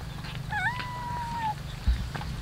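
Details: Cat eating rice with fish in the morning gives one drawn-out meow lasting about a second, a steady tone with a brief dip and rise at the start, over a low continuous hum.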